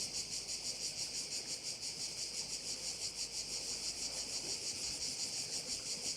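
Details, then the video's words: Korčula bay crickets in full chorus: a bright, sizzling high buzz swelling and fading in even pulses, about three per second, with little else audible. "view of one of the bays in Korcula with sounds of crickets"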